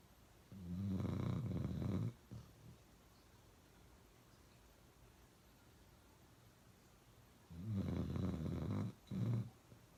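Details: A dog named Uno snoring really loud: two heavy, low rattling snores about six seconds apart, each lasting over a second, the second ending in a short extra snort, with quiet breathing between.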